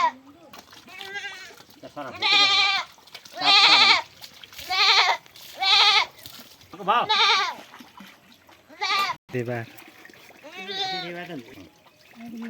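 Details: Goat being washed for lice bleats repeatedly, loud quavering cries roughly every second or so, mixed with people talking and watery handling sounds.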